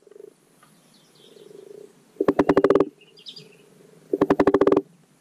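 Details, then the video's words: Common frog (Rana temporaria) giving its spring spawning call in a garden wildlife pond: two short bursts of rapid, low, pulsed croaking, each about half a second long, two seconds apart. Faint soft purring and distant bird chirps sit between them. "The Croak Sounds of Spring Frogs. The Spring Spawning Call of the Common Pond Frog Rana temporaria."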